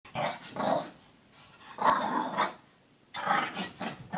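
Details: Female Shih Tzu with the zoomies, running around, chasing her tail and pestering the household cat; three bursts of low, rough play growling separated by short quiet gaps.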